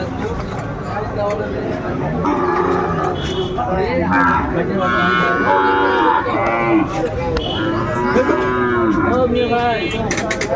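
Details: Sahiwal bull calves about five to six months old at a cattle market in Dhaka, 3 February 2025: several overlapping moos, some drawn-out and wavering, amid continuous crowd chatter, people bargaining and market din.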